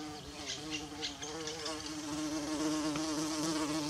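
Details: Bumblebee buzzing in a forest near wild violas, a steady low drone with a strong fundamental and stacked wavering harmonics, swelling slightly louder in the second half, faint higher chirps above.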